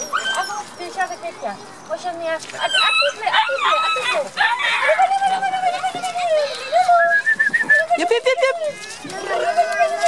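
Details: Beauceron puppies, a litter of nine at seven and a half weeks, on an outing: clustered short yelps and long rising-and-falling whimpers, some drawn out for over a second, crowding one another almost without pause.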